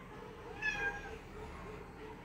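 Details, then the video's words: Margot, a house cat, gives one short, slightly falling meow while wanting to drink coke, set over a low steady background hum. "Meowing cat wanting to drink coke / Gato miando querendo beber coca cola"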